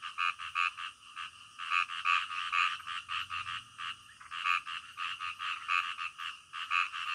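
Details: A night-time frog chorus of rasping croaks in uneven bursts, some notes carrying clear ringing tones, the rhythm pausing briefly before resuming.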